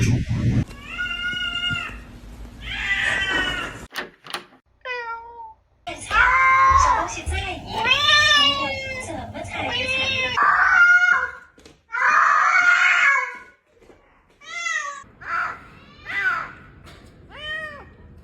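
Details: Domestic cat indoors giving repeated harmonic meows, arched and rising-falling, varying from high squeaky to lower drawn-out tones, interleaved with human voices and background sound.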